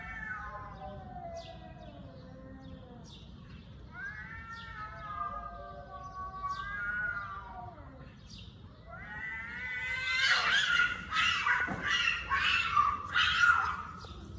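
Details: Cat producing long, wavering meows that rise and fall, spaced a few seconds apart, then a louder harsh, noisy outburst of yowling toward the end over a low background hum.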